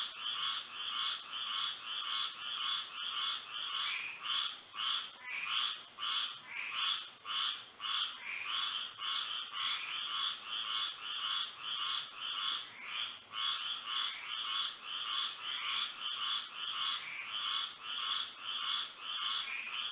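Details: Many frogs calling together on a moonlit Florida night, their harsh pulsed croaks overlapping into a busy, uneven rhythm near two calls per second, under an unbroken high-pitched whine.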